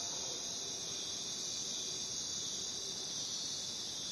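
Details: Crickets calling in the jungle: a dense, unbroken high-pitched shimmering trill from many insects, steady in loudness throughout with no pauses, over a faint low background hiss.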